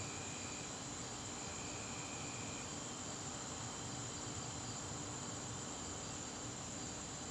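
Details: September evening garden crickets keep up a constant shrill drone at one high pitch, with faint hissing ambient noise beneath and a brief fainter whistle-like tone early on.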